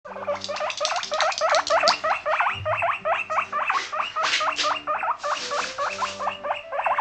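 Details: Abyssinian guinea pig, a female pet born in 2017 living in an apartment, eating a large lettuce leaf; rapid repeated squeaky chirps, each a short rising-falling note, about four per second, with soft crunching between.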